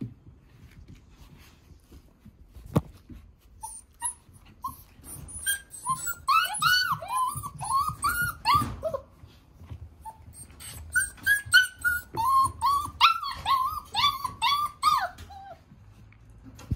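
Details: Male Border Collie puppy with nicely patterned coat, whining indoors: two bursts of quick, rising-and-falling nasal whimpers, roughly two to three per second, separated by a short pause, over low room rumble.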